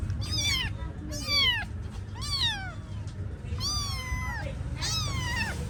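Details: Kittens meowing: five clear high, falling meows, each slurring downward, spaced roughly one second apart, over a low background rumble.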